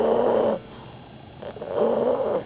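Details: Two loud rasping snores from Rudy the dog while asleep, each roughly half a second to a second long, separated by a quiet gap of about a second with a soft breath between.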